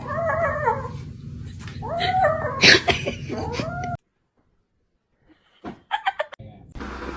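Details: Kittens mewing, a few drawn-out falling cries followed by a sharp louder squeal, with a woman exclaiming nearby; after a sudden silence come brief clicks and knocks.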